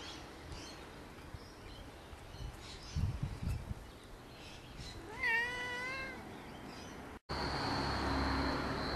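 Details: Pet cat named Pongo, a family cat, gives a single drawn-out meow with a wavering, slightly rising then falling tone, preceded by faint rustling and followed by a steady background hum.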